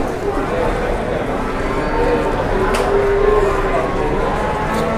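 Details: Jumbo-sized cattle at a livestock market in Indonesia, giving a drawn-out, steady low moo beneath a constant roar of market crowd noise and nearby chatter.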